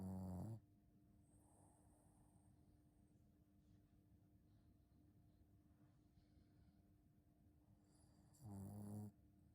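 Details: Shih Tzu named Ponta snoring, with two short, loud, rough bursts at the start and end, cut off at the edges, separated by about eight seconds of quiet breathing hiss and a steady low hum.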